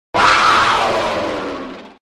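A mountain lion lets out one rough, breathy scream-like call that starts abruptly and fades over about two seconds. The sound is coarse and hissing, with a strained tone running through it.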